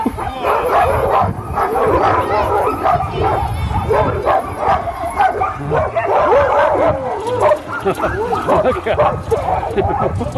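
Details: Many sled dogs at Caribou Crossing in Yukon Territory waiting for sled takeoff, producing a continuous din of barks and yelps over the voices of people talking nearby.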